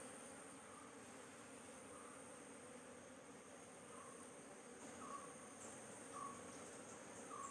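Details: Hive of honey bees being inspected for queen cells before extra cells are destroyed to stop the colony swarming. A steady low buzz runs underneath, with faint short chirps every second or so and a thin high tone.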